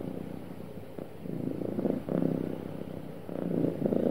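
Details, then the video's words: Happy cat purring, a throaty low vibration with a rapid flutter, building in strength in two or three loud swells separated by softer stretches. "Happy Cat Purring Smoothly"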